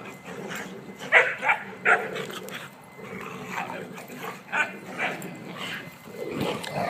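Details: Three pet dogs, Emma, Bugsy and Kuna, playing together by a new fence, Emma five months old; a cluster of short, sharp barks and yelps near the start, then scattered quieter yips and a rougher growly burst at the end.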